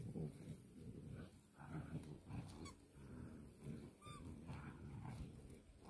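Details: Three Irish Wolfhound puppies play tug-of-war: low rumbling growls rise and fall in waves, with a couple of faint high squeaks.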